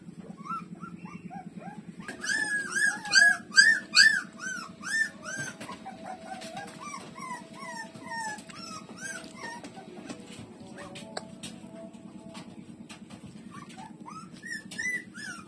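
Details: Puppies such as Lulu suckling from their mother, street dogs; loud bursts of high whining squeals in the first seconds, then softer falling whimpers, with a low rhythmic hum throughout.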